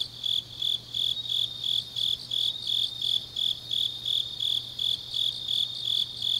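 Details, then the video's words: Night chorus of grass insects in deep autumn, Changnyeong, South Korea: bright high-pitched chirps in an even, rapid rhythm near three per second, layered over a thin continuous shimmer and a quiet low hum. "깊은밤 가을 풀벌레 소리"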